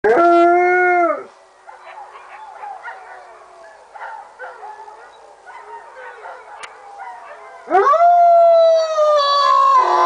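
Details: Three sled dogs at a mushing school in Fusine in Valromana, Tarvisio, Italy, in winter 2011/2012. A loud, steady howl opens, fainter wavering howls from other dogs follow in the background, then another strong, long howl rises and holds.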